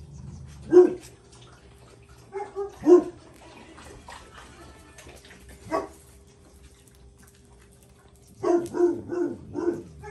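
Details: Paris, a Jack Russell Terrier, scolding her son Oscar: isolated sharp barks spaced a second or two apart, ending in a fast cluster of four or five yappy barks over a faint hum.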